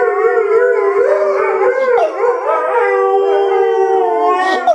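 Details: Two Alaskan Malamutes howl together in long, wavering, overlapping tones that rise and dip.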